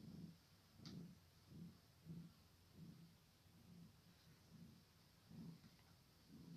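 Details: A kitten's low, rhythmic purr, rumbling bursts coming a little faster than once per second, with a single brief click near the start and soft hiss throughout.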